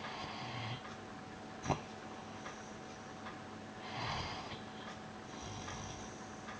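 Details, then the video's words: Piran, a pet dog, snoozing on his bed in May 2013, snores softly: a quiet breathy rasp near four seconds follows a brief sniff, over a steady faint electrical hum in a quiet indoor room. "Piran Snoring May 2013"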